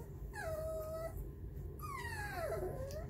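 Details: Puppy reacting to music with two thin, whining wails, the first level and high, the second sliding downward; low hum in the background.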